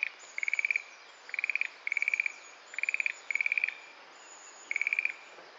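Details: Schlegel's green tree frog calling from a sedge thicket in Itsukushima Wetland, a light castanet-like sound: six short bursts of rapid clicking pulses, each about half a second, spaced roughly a second apart against a quiet background.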